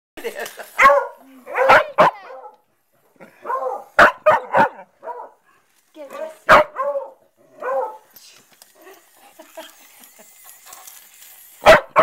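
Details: A dog in Rockport barks at voice-controlled robotic crabs. Sharp single barks burst out at irregular intervals, about five in twelve seconds, among frequent people's talk and murmuring.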